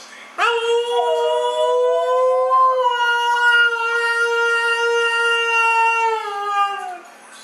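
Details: Female Siberian husky 'talking' about her sister with a single long, steady howl of about six and a half seconds. It starts with a sharp onset, dips slightly, then holds level before fading away.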